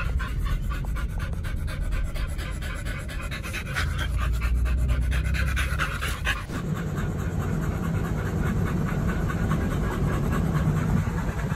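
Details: Oliang and Nomyen, dogs fed raw chicken and pork at a dog hotel, pant in quick breathy bursts, about three to four each second. Partway through, the background changes abruptly and a high steady tone appears.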